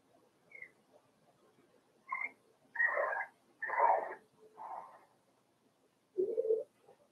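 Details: Four-week-old Cavalier King Charles Spaniel puppies in Daisy's puppy pen, giving a run of high, nasal whines and yelps in short bursts about a second long, with a lower, rougher whimper near the end and a quiet room behind.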